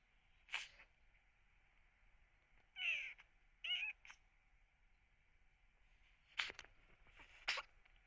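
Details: Rescued kitten sick with cat flu, eyes nearly shut by discharge, crying as if in pain: sharp sneezes at the start and end, with two short, strained, high meows in the middle.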